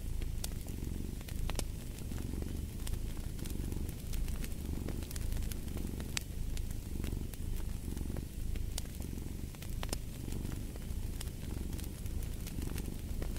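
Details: Cat purr, a deep continuous rumble that swells and fades in regular breath cycles under a second long, with scattered snapping crackles of a fireplace fire over it.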